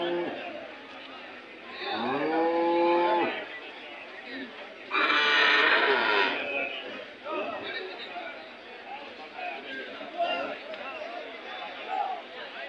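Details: Hallikar cattle at the weekly Monday cattle fair at KG temple, Gubbi taluk, Tumkur district, Karnataka, India, 8 July 2024; a rising moo of about a second, later a harsher noisy burst, with people talking throughout.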